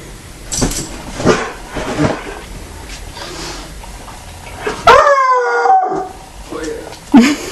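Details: Walker hound giving its first howl: after soft human voices, one loud, drawn-out, slightly falling howl of about a second, rich in harmonics, followed by more talking and a short yelp at the end.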